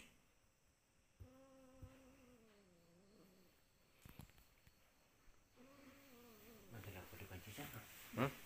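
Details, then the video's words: Domestic cat meowing: two long, drawn-out harmonic meows, the first wavering and sliding downward over about two seconds, the second shorter, followed by rustling and handling noise. "Kucing lagi meong meong"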